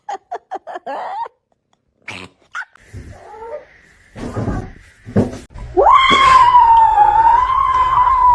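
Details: A domestic kitten (Felis catus) gives a quick string of short meows, then one long, drawn-out meow.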